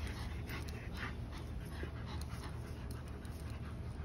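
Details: Tired German Shepherd, 110 lb, after chasing a smaller 50 lb Belgian Malinois in play. Fast, rhythmic huffing pants, several per second, airy and noisy, with a constant low-pitched rumble underneath.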